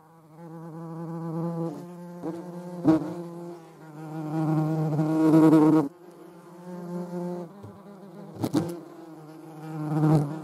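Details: European hornet, filmed alongside a median wasp: a low droning flight buzz with a rich stack of harmonics, rising and falling in loudness as the insect moves, with several sharp clicks or knocks.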